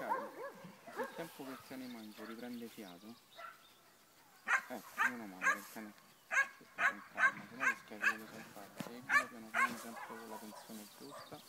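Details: Black German Shepherd during tracking training, with Italian speech from trainers filling the first few seconds, then a run of about nine sharp, evenly spaced barks with brief pauses between them.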